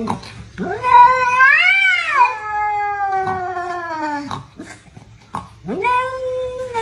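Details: Domestic cats fighting; a loud, drawn-out caterwaul that rises then wavers and slowly falls over about three seconds, followed after a pause by a second rising yowl.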